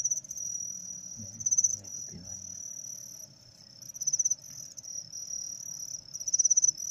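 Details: Male crickets kept in a container after a single female is put in with them to get them singing: a bright high trill rises into loud rapid pulsed bursts near the end, with a few spoken words early on.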